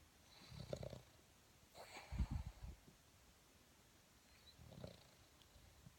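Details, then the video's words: Boston Terrier snoring while sleeping: quiet, low, grumbling snorts come in three soft bursts a couple of seconds apart, with a faint breathy hiss. "Boston Terrier snoring"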